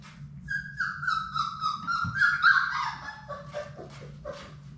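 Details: Labrador Retriever puppy, one of a litter of six in an indoor play room, giving a long drawn-out whine that slides gently downward, then breaks into short yelps; a steady low hum underneath.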